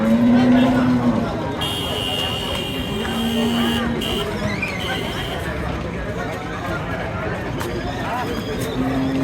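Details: Improved-breed dairy cows with calves at the weekly Wednesday Sonaichandi cattle market, Chapainawabganj district, on December 18, 2024: steady, droning low moos open the clip and return midway and at the end. Constant crowd chatter, vehicle noise and a high horn-like tone surround them.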